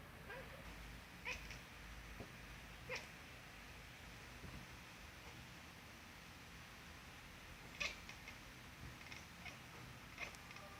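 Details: Loud cat meows come in scattered short bursts, several brief cries near the start and a stronger cluster later, over a constant low room hum.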